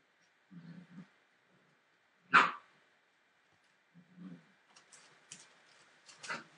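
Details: Forty-three-day-old Entlebucher Mountain Dog puppies from a litter born 28 December 2013 give low rumbling growls, then a single sharp bark, more low grumbling, and a burst of higher yips with scuffling at the end.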